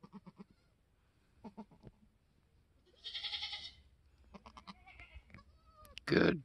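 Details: Newborn F4 Mini Alpine buckling, black with white frosted ears and nose, born on a homestead on March 13, 2021; short, pulsed bleats come in small bursts, broken by rustling and handling noise.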